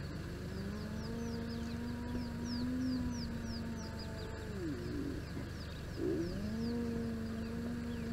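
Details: At a den site in southern Kruger National Park, spotted hyenas of a large clan interact: long, level, low droning whines dip and swoop midway, while small birds chirp repeatedly in the background over a constant low rumble.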